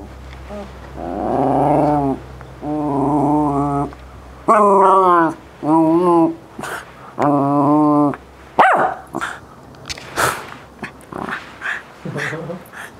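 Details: West Highland White Terrier talking while playing ball: a run of drawn-out, wavering whines and growly moans, roughly a second each, then shorter choppy yips and grumbles, with a person speaking briefly.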